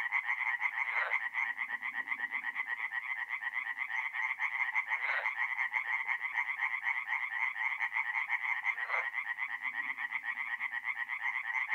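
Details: Forest pond in north-east Italy, a mid-April night: tree frogs keep up a dense rattling chorus of rapid croaks, with three short louder bursts standing out at intervals over the steady din.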